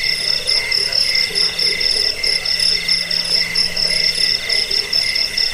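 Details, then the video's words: Crickets used to lull listeners to sleep, chase away rats and tutor birds. Bright, high pulsed chirp bursts repeat about twice per second in a steady rhythm, backed by a thinner continuous trilling chorus. "Suara jangkik pengusir tikus pengantar tidur"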